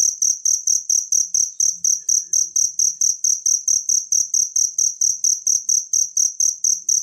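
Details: Crickets in a natural recording meant for tutoring a prized songbird, giving sharp, shrill pulsed chirps in an even, rapid rhythm of roughly two per second, with only a soft low murmur beneath.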